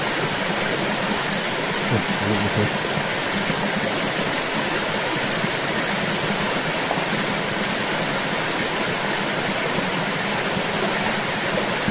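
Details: Steady rushing stream or waterfall noise fills the whole recording, with faint voices underneath.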